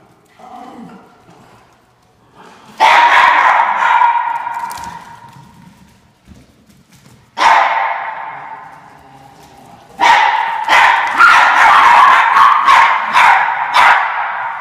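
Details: Norfolk Terriers chasing an orange fox, giving loud, harsh, excited barks and yelps in three bursts, a short one near the start, then a sustained run of rapid barking over the last few seconds.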